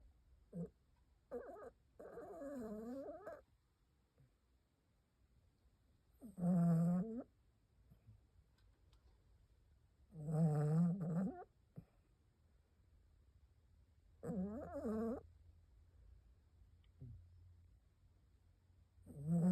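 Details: A sleeping 15-year-old Maltipoo snores like a human. Deep, rasping snores come in bursts roughly every four seconds, with near silence between breaths.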